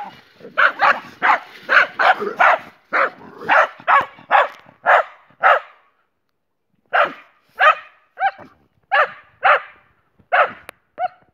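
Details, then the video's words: Jessie, a German Boxer, with her friend Spike: a long volley of about a dozen rapid barks, a brief lull, then another eight evenly spaced barks. "Jessie. Boxer dog."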